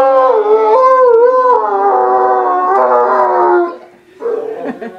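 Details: Pet Irish wolfhound howling indoors on his family's return home, his regular "singing" greeting: a long, sustained, wavering howl that rises and falls for nearly four seconds, then fades to softer broken whines.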